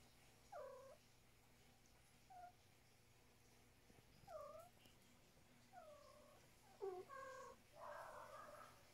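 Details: A house cat named Luna communicating non-stop in the morning after eating breakfast makes a series of about six short, downward-bending meows spaced one to two seconds apart, the last few quicker and louder, in a quiet indoor room.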